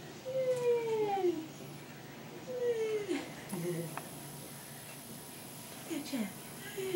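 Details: Sidney, a tiny dwarf Maine Coon kitten indoors, gives drawn-out falling mews, two in the first three seconds and a shorter one near the end, over a faint steady background hum.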